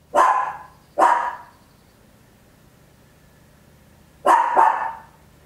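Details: Tiny Papillon dog indoors, recorded at home on an Olympus LS-11, giving loud barks: two quick barks a second apart, a pause, then a fast double bark.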